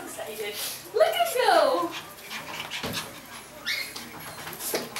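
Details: Pomeranian puppy offered for sale in California gives a high, wavering whimper that rises and falls for about a second, then a shorter whine follows, with voices and household clatter in the background.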